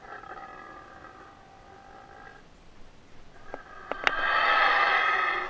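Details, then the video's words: Captive Yucatan black howler monkey at a rehabilitation centre, howling up close during a feed: faint harmonic moans first, then a few sharp knocks and a loud, rough, sustained roar in the final second and a half. "Yucatan Black Howler Monkey"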